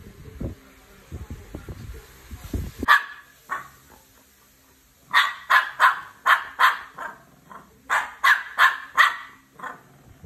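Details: Barking from a Shih Tzu versus Belgian Malinois encounter: muffled rustling first, one sharp bark near three seconds, then two rapid bursts of repeated loud barks, roughly a dozen in all.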